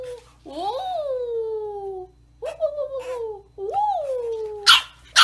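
A bulldog puppy gives long, sliding whines that rise then fall, three times, with brief noisy bursts at the end.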